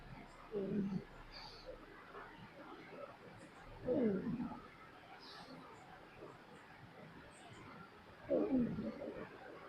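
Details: Pet pug asleep, snoring: three rough, breathy rasping snores roughly four seconds apart, each about half a second long, with quiet breathing between.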